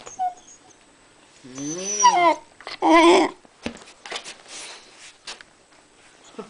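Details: Jazz the husky talking for a share of toast; a short rising-and-falling whine followed by a rough, breathy yodel, then quieter shuffling and small noises in a small room.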